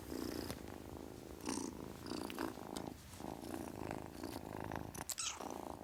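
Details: Purring kitten, a steady vibrating rumble that swells and dips with each breath, interrupted by occasional brief rustling and scratching noises nearby.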